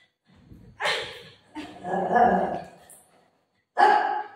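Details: Golden retriever dog playing with its mom gives three rough, broadband barking bursts spread over about four seconds; the middle one is longer and drawn out, with quiet pauses between them.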